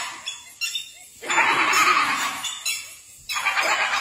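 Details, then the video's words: Laughing hyenas facing a tiger give a long, harsh, rapidly pulsed giggle, followed by a shorter second burst after a pause. "HYENAS LAUGHING AT A TIGER!!"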